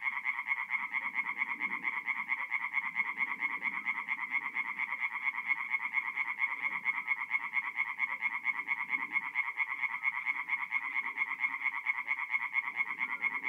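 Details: Tree frogs singing at night at a forest pond in north-east Italy in mid-April: a dense, steady chorus of rapid rasping pulses, fast and regular, with softer low croaks from other frogs beneath.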